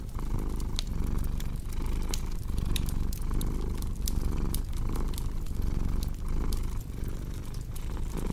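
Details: Low, continuous cat purr pulsing in breath-like waves about every second, with frequent snapping clicks of a crackling fireplace on top.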